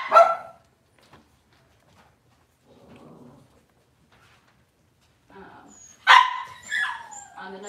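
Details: Cavalier King Charles Spaniel at a breeder's indoor kitchen cam on a cloudy Monday morning: two sharp, loud barks separated by a long quiet stretch, with soft human talk between them.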